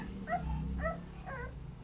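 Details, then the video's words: Over-protective American Bully mother with newborn puppies; three short tonal whimpers, each bending up then down, about half a second apart, over a steady low hum. "American bully way over- protective the new born puppies"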